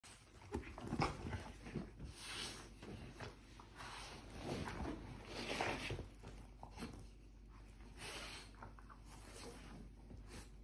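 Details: A French bulldog and a Weimaraner roughhouse at home, with bursts of gruff barks and growls coming in uneven, excited spurts.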